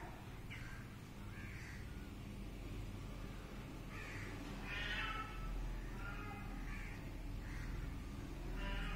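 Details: Repeated kitten meows, short harmonic cries coming about once a second, a louder one near the middle, with a steady low background drone throughout.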